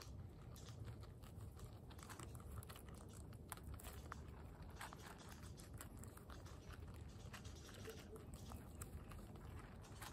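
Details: Guinea pigs Latte and Oreo munching pellets. Dense, continuous biting and chewing clicks fill the recording, with a faint voice in the background of a small room.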